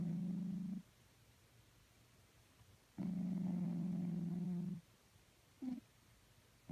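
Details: Sleeping cat snoring: two low, droning rumbles, the first under a second and the second nearly two seconds long, separated by quiet, followed by a brief low grunt.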